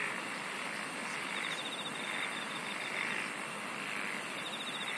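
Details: Insects singing in a dense night-like chorus: a steady shrill mid-pitched hum, a faint pulsing buzz above it, and a very high rapid ticking trill joining near the end, all over a constant hiss.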